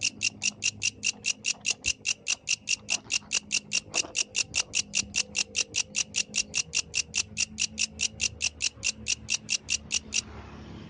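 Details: Yellow grasshopper singing at night outdoors: a steady train of rapid, evenly spaced dry pulses, about four to five per second, high and rasping, continuing for ten seconds before stopping, over a faint low background hum.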